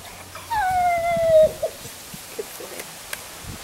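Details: Staffordshire Bull Terrier named Buster, trained to cry on cue, gives one long whining cry that slides slowly downward and lasts about a second, then a short squeak and quiet room noise.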